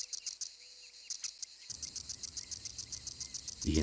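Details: Cicadas produce a loud din and are hard to locate; the small insects barely move while rubbing sound organs under their wings. Rapid, regular high buzzy pulses repeat throughout, with low background noise and music entering partway.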